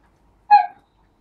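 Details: Husky kept with a litter of seven four-week-old pups, two male and five female, alongside adult huskies; one short tonal whine, clear and harmonic, rises and then falls away in under half a second against near silence.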